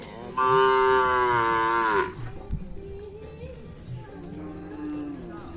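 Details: Cattle at a kerapan sapi bull-racing event on the Asemanis field: a loud, rich, bellowing moo of nearly two seconds that bends downward at the end, followed by softer lowing and a thud in the busy background.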